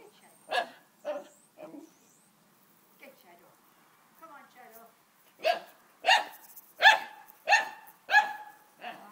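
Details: Playing dogs give a few loud barks, then fall quiet with soft whimpering and faint voices before finishing on a strong run of five evenly spaced barks.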